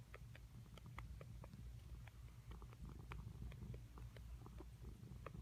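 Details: Pet cat named Sandia making weird sucking noises: short, wet clicking smacks repeated irregularly, roughly three per second, over a steady low indoor hum.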